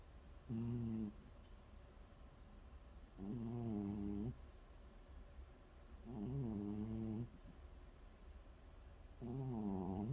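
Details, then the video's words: Sleeping cat snoring indoors at night: low, voiced, buzzy breaths with a rumbling harmonic texture, each lasting about a second and repeating roughly every three seconds in a steady rhythm against a quiet room hum. "가족의 코골이 긴장감없는 고양이"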